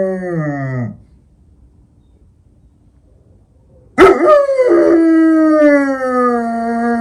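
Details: German Shepherd, an eight-year-old female pet in Ukraine, howling at night for the first time; a sliding howl fades out, then after three seconds of quiet a loud, long, wavering howl slowly falls in pitch.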